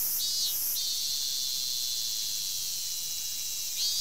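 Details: Robust cicada (Minmin-zemi) sings in a forest on 19 August 2012, in summer: a loud, steady, shrill buzzing drone with a wavering swell at the start and end.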